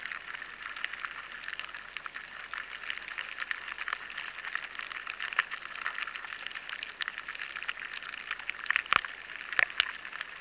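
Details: Lesser grain borers (Rhyzopertha dominica) gnawing and feeding inside a batch of stored barley, a dense patter of tiny dry clicks and ticks like rain on a tarmac road, in a high-sensitivity stored-product recording.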